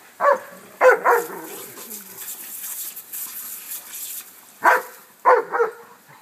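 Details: A dog named Remy, seeing and chasing a garden sprinkler for the first time, barks in two quick pairs a few seconds apart, with faint spraying water and a person's voice in the background.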